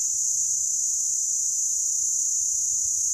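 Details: Cicada in the Meerkat Magic Valley Reserve vibrating structures in its abdomen on a day over 43 °C. Its high, steady screaming buzz stays level and continuous the whole time.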